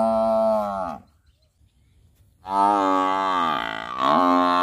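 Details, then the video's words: Two deep buffalo moos split by about a second and a half of silence. The first is short and falling. The second is longer and wavers, dipping and then rising again toward the end. "Buffalo Sound"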